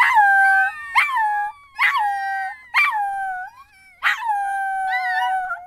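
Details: Miniature Pinscher puppies learning to howl, giving a series of high, wavering, drawn-out notes that slide downward.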